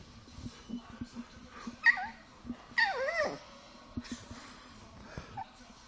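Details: Milk the Chihuahua, upset after a prank of air blown in her face, gives high, quavering whimpers that bend up and down near two and three seconds, between soft rhythmic huffs and breaths.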